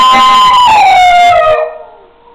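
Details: Six-week-old high-content wolfdog pup howling: a loud, strained, harmonic-rich howl that slides steadily downward, then drops away into a quiet, fading tail.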